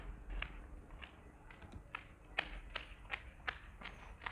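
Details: Soft, irregular tapping and thumping like running footsteps over quiet background hiss, with no animal vocalisation heard.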